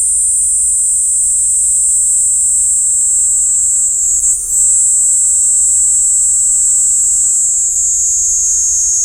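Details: Continuous shrill trilling drone of a Kaempfer cicada, captured with a parabolic mic; the very high buzz wavers briefly around the middle, then sinks slightly in pitch toward the end.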